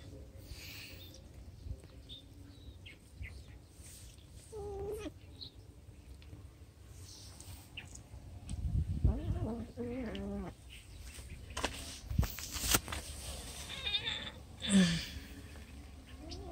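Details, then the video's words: Cats being fed, giving a few drawn-out meows that rise then fall, clustered near the middle, with a shorter cry near the end, over a low steady background rumble. "Feeding the cats"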